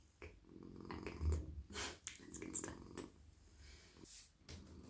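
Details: Male domestic cat purring while being petted in a lap at night: a low, steady rumbling purr under brushing stroking sounds and soft rustles.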